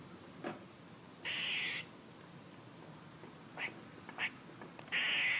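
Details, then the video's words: Squirrel giving two loud, rasping, buzzy bursts of about half a second each, with a few soft, quick chucks between them. "A squirrel making noises"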